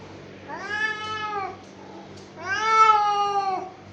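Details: Domestic cat, angry, uttering two long harmonic meows about a second apart, each starting low, holding steady and dropping at the end, with a constant background hum.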